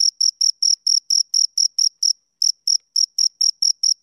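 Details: Chirping of two crickets, brief shrill pulses in a quick regular series, broken by one short pause near the middle before resuming at the same pace; nothing else audible.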